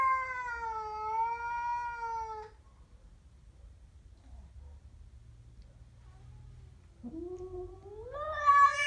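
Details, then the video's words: Growling at a stray cat, a Siamese gives a wavering, whining yowl for about two and a half seconds. Near silence follows, then a sharply rising wail closes the clip. "My siamese cat growls at a stray"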